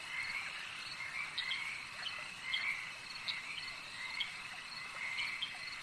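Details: Frogs at a lake, heard as a dense chorus of short, raspy, mid-high croaks in overlapping bursts about every second, over a steady high insect-like hiss.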